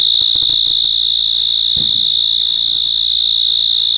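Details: At night, an insect keeps up a piercing, steady high trill with rapid, regular pulsing, while a few soft low taps and a brief dull thump occur early on.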